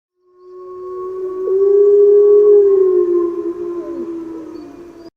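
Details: Gray wolf (Canis lupus), howl.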